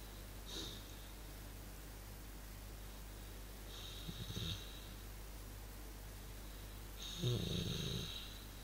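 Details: Relaxing male dog giving low snuffling snores, three spaced bursts: a short puff, a rumbling grunt midway and a longer throaty snort near the end, over a steady low household hum.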